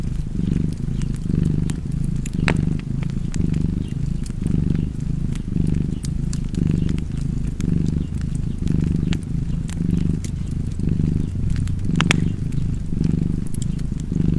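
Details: Continuous low cat purr pulsing in even in-and-out cycles near once a second, accompanied by scattered snapping fireplace crackles.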